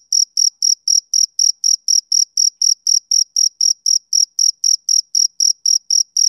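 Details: Male cricket chirping on a summer evening: steady, rhythmic, high-pitched pulses, about four chirps each second, evenly spaced and unbroken, with no other sounds.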